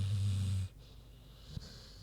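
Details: Queenie, a big pig, snoozing: one low rumbling snore in the first half-second, then quiet breathing hiss.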